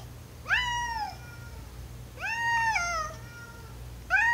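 A domestic cat gives three clear, drawn-out meows, each rising then sliding down, asking to go downstairs.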